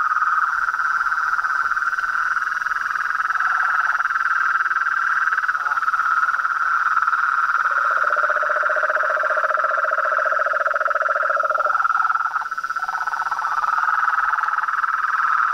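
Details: Continuous chorus of frogs and toads, a steady buzzing trill with a lower pulsed trill entering midway and fading after a few seconds.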